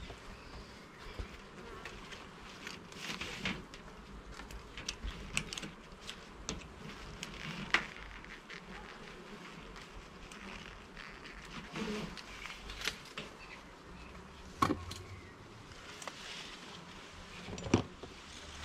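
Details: Honey bees during a hive inspection in a garden, frames and levels being opened: a steady low droning hum runs throughout, broken by sharp clicks and knocks from handling the hive.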